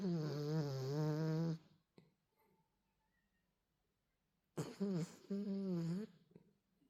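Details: Dachshund. A miniature Dachshund snores with drawn-out, buzzy, nasal breaths, each lasting over a second. A quiet gap of about three seconds separates two rounds of wheezy, wavering snores.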